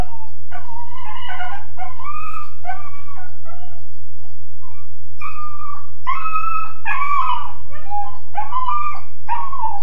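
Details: Kennelled Weimaraner puppy, roughly 13.5 weeks old, wailing: rapid, irregular series of wavering whines and yelping howls, loudest in the second half, steady mechanical hum underneath.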